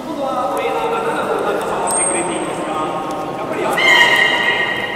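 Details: Beluga in a public training session at Port of Nagoya Public Aquarium, Japan, 18 July 2016, 13:30: a thin high whistle, then a bright, steady, harmonic squeal near the end, over wavering tones and crowd voices indoors.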